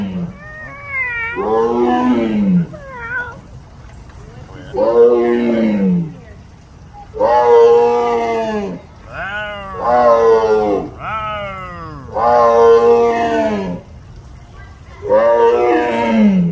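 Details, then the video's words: Louisville Zoo tiger giving repeated loud roars, long harmonic moans that rise then sink, some calls doubled, coming about every two to three seconds across the stretch. "Interaction with The Louisville Zoo tiger (tiger 🐅 Roar)"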